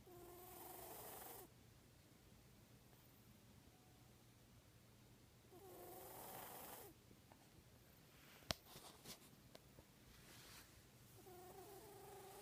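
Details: Fourteen-year-old cat Odie, whose scarred left nostril makes him sniffle often, gives three drawn-out, wheezy nasal sniffles with a faint whistled, trumpet-like tone, spaced about five seconds apart, with a sharp click midway.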